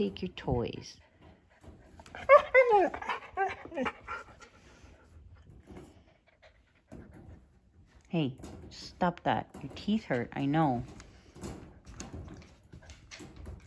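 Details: Siberian Husky puppy at home while Juno and Echo play roughly; a short burst of wavering, whiny, harmonic vocalizing early on, followed by panting and a person speaking over later chatter.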